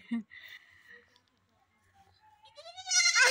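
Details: Goat kid bleating at home: short talk and a laugh, then after a quiet gap a loud rising, strained bleat with stacked harmonics closes the clip, rising in pitch and intensity.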